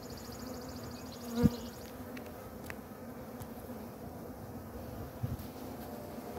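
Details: A caught honey bee swarm gives a steady, low, droning hum with a sharp knock partway through, while the beekeeper on a ladder searches for the queen.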